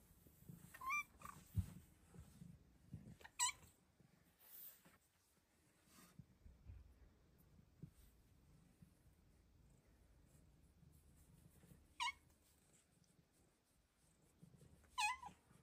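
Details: Luna, a Bengal cat, squeaks while belly flopping in affection; four short, high, upward-sweeping squeaks spaced a few seconds apart over a quiet indoor background with soft rustling.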